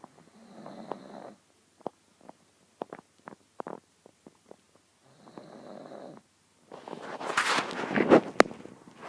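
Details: Grimley, a pug fast asleep on a lap, snoring: soft droning breaths about a second long, separated by faint clicks, then a louder, harsher rattling snore near the end.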